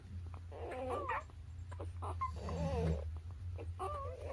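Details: Newborn puppies, between birth and three weeks old, give thin wavering squeaks in three short bursts, each bending up and down in pitch, over a steady low hum.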